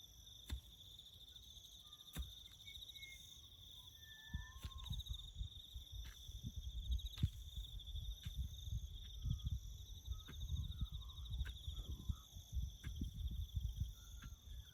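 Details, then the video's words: Crickets chirping in the bush during farm work, a steady high continuous trill running unbroken throughout, with low rumbling work noise and sharp clicks and knocks scattered across the recording. "crickets chirping"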